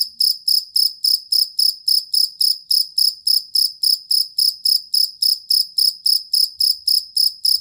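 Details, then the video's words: High, metallic chirps of a cricket, a collar or fighting type used as songbird tutor, repeating quickly and regularly for the whole stretch, each pulse short and bright, nothing else audible. "Suara Jangkrik Master Burung"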